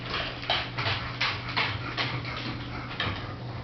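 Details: Chongqing dog indoors, one of the first of its breed brought to Europe, giving a quick series of short, breathy, hissing snorts and sneezes roughly every half second, each a rough puff of air, with a constant low hum behind.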